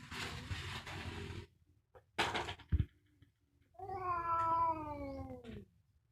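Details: Fighting cat, fierce and real: bursts of hissing noise and a knock, then one long yowl of nearly two seconds, slowly sliding downward in pitch over a low background rumble.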